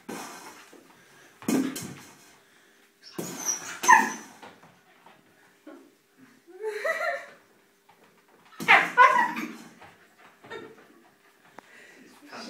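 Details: Female Siberian Husky puppy indoors, chasing and playing with her food and water bowl: short scattered yips and barks with soft whimpers between them, a few loud bursts, and quiet human voices in a small room.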